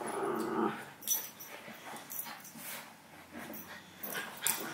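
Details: Two pet dogs, Howie a six-month-old Havanese puppy and Remy a miniature schnauzer, playing indoors; short growls and scuffling bursts with a sharp high yip near the end, recorded on a Sony a6000.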